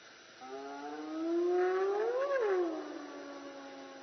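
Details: A hyena at an elephant park in Africa gives a single drawn-out call that rises slowly over about two seconds to a peak, then falls quickly; clear, hollow voice with rich overtones over faint steady hiss.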